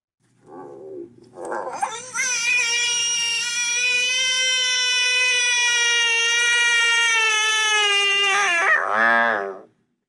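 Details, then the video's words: American Bullfrog distress call, given by a frog being eaten and possibly warning other frogs or drawing predators that disrupt the attack: a long, loud, sustained scream with rich harmonics lasting about seven seconds, preceded and followed by short squawks. "so this is a distress call of a bullfrog [Music]"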